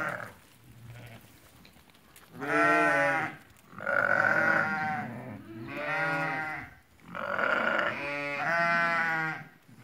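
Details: Eighty lambed ewes for sale at Fkih Ben Salah: after two quiet seconds, five loud, vibrating bleats follow one another at roughly one-second intervals, some overlapping, from several sheep of the flock.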